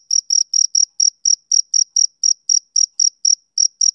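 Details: Loud, close male cricket chirping on a summer evening: sharp high chirps repeated roughly every quarter second in a steady rhythm over silence.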